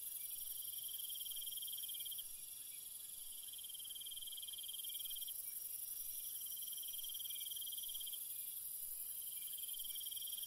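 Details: Crickets at night in a calm, quiet ambience: repeated high trilling bursts lasting a few seconds each, steady and unbroken, layered over a continuous sharp insect drone.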